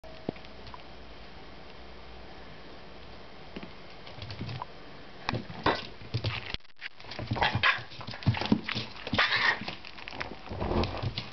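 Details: A Chihuahua scolds a pestering Jack Russell Terrier puppy with sharp, harsh vocal bursts after a quiet start; the puppy keeps bothering it and doesn't learn.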